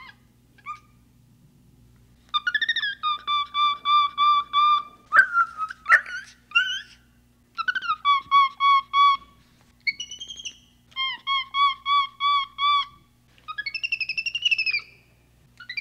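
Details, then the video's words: Capuchin monkey giving bursts of rapid, evenly pulsed harmonic notes, each series holding steady or dipping slightly, separated by short pauses, with one louder, rising squeal in the middle; a faint low steady hum lies underneath. "Capuchin Sound"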